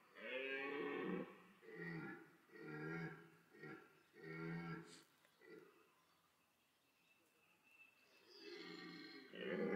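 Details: Red deer stag at Parc Sainte-Croix animal park during the autumn rut, bellowing to attract females amid pursuit and fighting; a series of five deep, harmonic roars about one second apart, a pause, then another loud roar begins.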